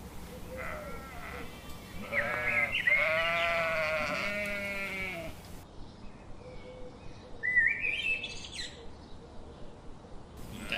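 A sheep bleats in quavering, nasal bursts, with faint bird chirps in the background.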